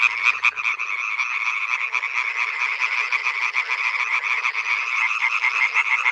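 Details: Male European tree frogs (Hyla arborea) call loudly at night at a pond, a dense, rapid, nasal rattling chorus.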